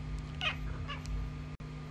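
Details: Talkative pet cat giving two short, nasal meows about half a second apart, the first louder and slightly rising, over a steady low electrical hum.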